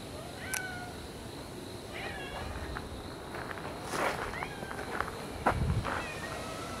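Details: Cats outdoors after a typhoon on the first weekend of October 2014, giving faint, short, rising meows scattered through the stretch over a steady outdoor background hiss.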